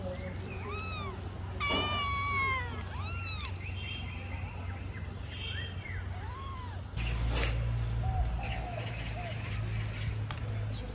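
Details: Kitten that smelled grilled fish and ran away with it, giving a rapid series of short, high, arching meows during the first few seconds, then fainter calls as a louder rumbling noise takes over.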